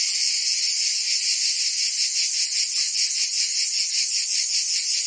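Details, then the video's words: Cicadas singing in summer in Provence, France: a dense, steady, high-pitched buzzing chorus with a fast throb of about two to three pulses per second, holding an even loudness throughout, with no other sounds. "Cicadas singing in France (Provence)"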